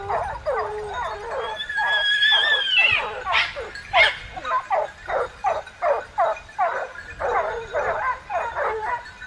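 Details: Hunting dogs bark and yelp in a rough chorus; a high whistled tone sweeps over them early on, then the barks settle into a regular beat about twice a second.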